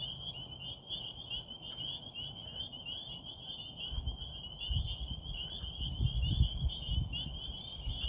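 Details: At a frog pond in Rehoboth under a waxing gibbous moon, a steady, high-pitched chorus of frogs trills continuously over a low rumble of background noise.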